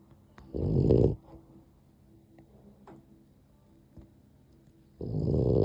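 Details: Sleeping dog giving tiny snores: one rasping low snore lasting about half a second, near-silence with faint breathing for four seconds, then the next snore starting.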